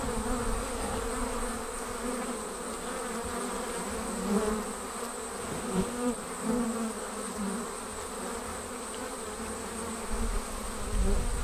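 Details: A honey bee swarm leaving the hive makes a thick, continuous buzzing drone. Layered hum bands swell and ease slightly throughout, with low rumbling underneath.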